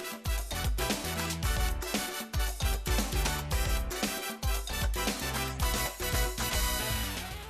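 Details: Upbeat Latin dance music with steady bass, percussion and horns plays throughout, with no animal voice heard.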